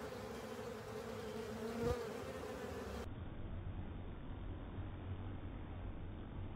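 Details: Honey bees and other insects at a honey filter: dense buzzing hum for the first three seconds with a brief louder swell near two seconds, then a duller, muffled low drone for the rest.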